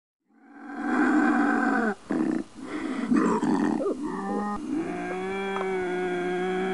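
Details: Bobcat howl meant to repel raccoons, a sustained harsh roaring yowl that breaks briefly, then steadies into a droning, tonal moan with clear harmonics.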